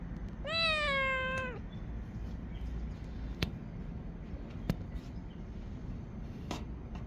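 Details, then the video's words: Kitten up on a roof gives a single loud, sustained meow of about a second, seemingly begging for a snack, followed by quiet background hum and a few sharp clicks. "Cat on a roof 지붕위의 고양이 ,,, 우렁찬 아기고양이의 야옹~~ "간식이나 있으면 줘봐냥""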